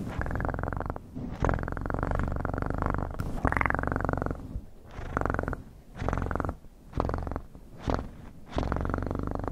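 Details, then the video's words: Domestic cat purring in steady low rumbling bursts, each lasting one to two seconds and separated by short breathing pauses, with no other sounds. "Best PURRING sounds"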